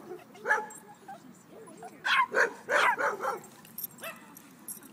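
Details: Playing dogs at a dog park bark in quick clustered bursts, sharp yappy barks grouped two or three at a time, with a person talking faintly nearby.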